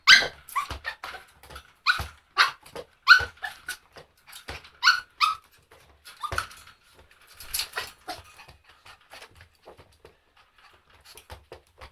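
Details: Dog giving irregular barks and high yelps, clustered early then spacing out, with softer whimpering notes and faint thumps in the later part indoors.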